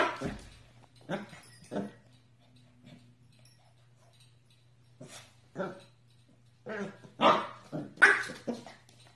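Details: Corgi puppies indoors giving short, sharp yapping barks in scattered bursts, some single and some in quick pairs, with a steady low hum beneath and a quieter stretch in the middle.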